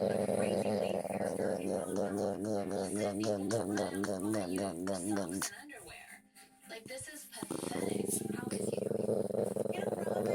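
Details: Domestic dog making a funny noise while its neck is rubbed: a steady, humming, growly voice that turns into a rapid wavering warble, then a brief break near the middle before the low moaning voice resumes.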